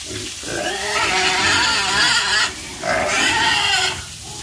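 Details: Pigs squealing in two long, strained, harmonic bursts separated by a short pause, with low grunting underneath.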